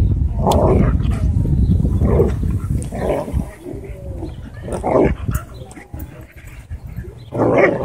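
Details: Dogs at a dog park during a conflict in which a German Shepherd reportedly drew blood from a Bull Terrier; harsh barks burst out irregularly about five times over heavy low rumbling background noise.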